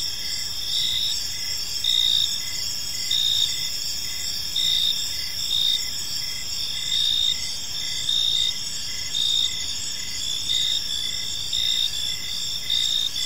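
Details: Evening park chorus of crickets, high continuous trills layered with short rhythmic chirps recurring about once a second, insects calling together with soft background hum.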